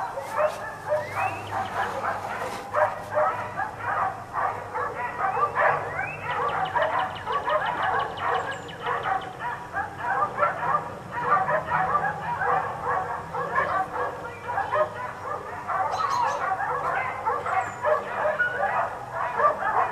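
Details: Four dogs kept outside all day bark almost nonstop in a dense, overlapping chorus of sharp, mid-pitched barks, with several voices clashing at once and no quiet gaps.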